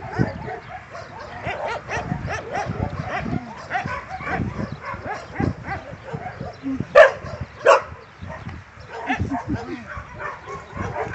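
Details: Domestic dog at tug play making quick, uneven runs of rough barks and growling grunts, with two loud, sharp barks close together past the middle.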